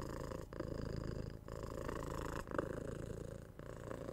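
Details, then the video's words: Domestic kitten, six months old, purring while cuddled, patted and given head scratches indoors; steady low rumbling purr in breathing cycles, with brief pauses roughly every second and soft handling noises. "Cat Purring"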